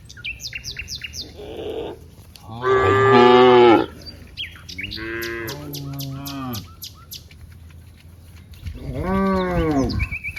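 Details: Cows among friends in green rice fields; three moos, the first loud and broad, the second softer with sliding pitch, the third rising then falling, amid bird chirps.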